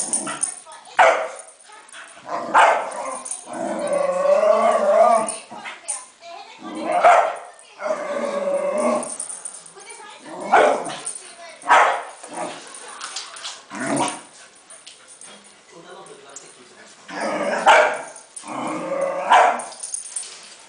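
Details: Playing wildly with a balloon, a Cairn Terrier lets out short, punchy barks at irregular intervals, about seven across the stretch, mixed with human chatter and laughter-like voices.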